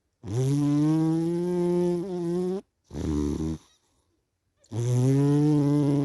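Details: A sleepy cat snores with loud, buzzy in-breaths over two seconds long. A shorter rattling, wavering breath follows, then a brief silence and another long, nasal snore.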